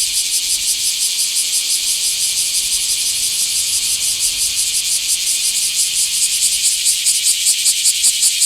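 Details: Small-park recording from 24 July 2026 of a Bear cicada: dense, high sizzling buzz with softer, less regular pulsing, growing more distinctly beat-like toward the end.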